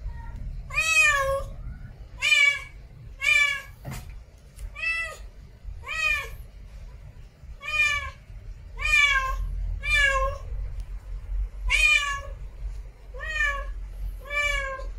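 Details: Female cat in heat meowing for a mate, about fourteen strong, tonal meows repeated roughly once a second, each bending upward then down, with a brief click near the four-second mark and quiet low hum.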